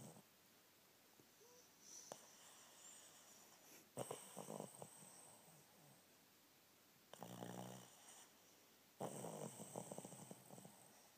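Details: Alice, a female Shih Tzu rescued from a puppy farm, napping; bursts of rough, rattling snorts and snores of one to two seconds arrive every few seconds, between quieter breathing, indoors.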